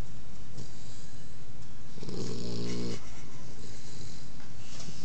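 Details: Odin the puppy asleep, giving a single loud, throaty snore of about one second in the middle, surrounded by quiet room hiss.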